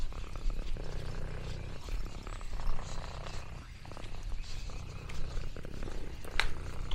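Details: Lexi, an orange tabby cat, purrs contentedly while exploring a farm in the countryside: a steady, deep, rumbling purr running through the whole stretch, with faint rustles and small mouth sounds on top.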